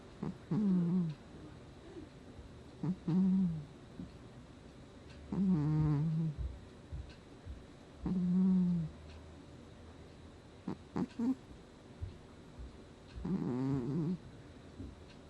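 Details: Sleeping domestic cat Gnusmas snores, August 2020: six low, rasping, nasal breaths roughly every two to three seconds, some with a faint whistle, small clicks and rustles in between.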